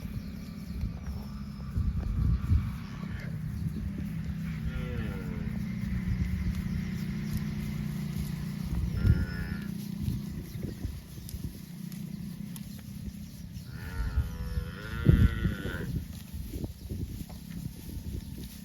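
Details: Tame cows roaming village roads toward rice fields; low drawn-out moos around five and fifteen seconds over steady low rumbling background noise.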